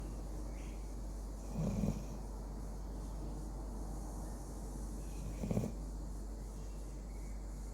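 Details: Pet Labrador named Sammy sleeping and snoring loudly, a habit only recently begun; two low, rough snores about four seconds apart, each under half a second, with quiet breathing in between.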